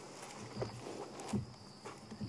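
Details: At Sabi Sand around sunset or nightfall on 14 March 2016, an African buffalo grazes only about three feet away, making soft, irregular crunches and rips as it tears off grass. Crickets are faintly audible.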